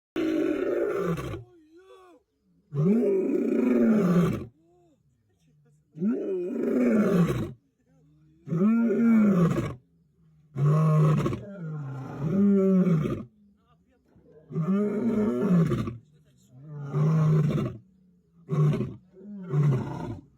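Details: Lion on safari, roaring in a series of deep groaning bouts about one to two seconds long, separated by short pauses, with low, harmonic moans rising and falling.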